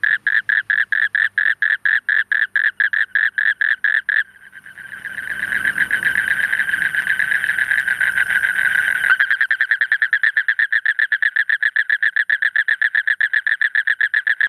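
A spectacled toad gives a long, rapid, rattling trill of evenly spaced pulses.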